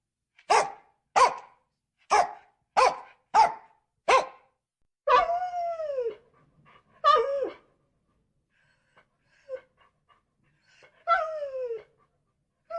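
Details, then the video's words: Six evenly spaced sharp barks from a dog, followed by drawn-out falling whines and yelps with quiet gaps between them. "DOGS NOISE SOUNDS BARKING WHINING"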